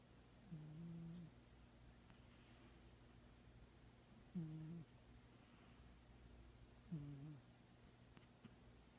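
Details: Sleeping Manx cat in very deep sleep, snoring softly indoors: three short low rumbling breaths, spaced about three seconds apart, over a quiet steady background hum.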